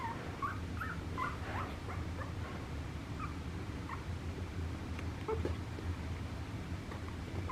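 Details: Papillon puppy giving short, high squeaky whimpers and yips scattered across the recording, faint over a steady low hum.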